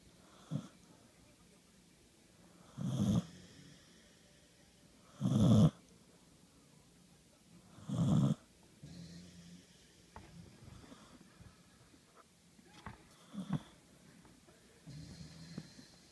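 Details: Snoring from one of two pet dogs sharing a bed, the other dog burping; low rasping snores roughly every two and a half seconds, then softer snuffles and breaths.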